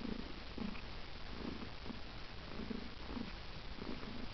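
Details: Domestic cat purring close up, a low steady rumble pulsing roughly twice a second with even breath cycles, no other sounds.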